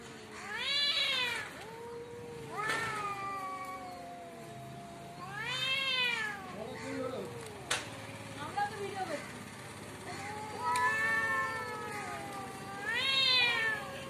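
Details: Cat fight in front of a home: repeated rising and falling yowls, some climbing into shrill peaks, come in bouts roughly every two to three seconds with lower growling moans between, a rhythmic back-and-forth of threats.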